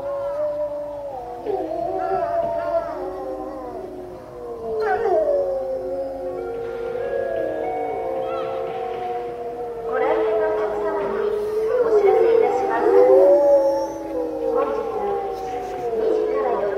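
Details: Several grey wolves at Tama Zoo in March 2016 howl together while lying down, long smooth tones sliding up and down and overlapping in a chorus.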